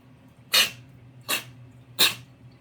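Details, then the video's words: Cat sneezing three times in quick succession, each a sharp, hissing burst about three quarters of a second apart, over a faint low hum indoors. "냥이의 재채기~ㅋ"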